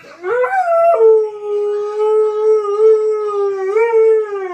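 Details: Pet dog howling along while SpongeBob plays on television: a single sustained, clear howl that swoops upward at the start, then holds a steady tone for about four seconds with a small rise near the end.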